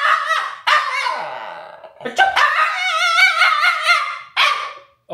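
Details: Alaskan Klee Kai named Sky, a mini husky, vocalising at its owner's sneezing in allergy season. Yelping barks lead into a long warbling, wavering howl-talk, followed by another short bark, all indoors with little background noise.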